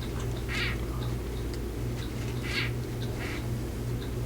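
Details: A female crested gecko, handled while being moved off glass, gives short, scratchy chirps with tail wiggling and head shaking, a rejection call telling a male to leave her alone.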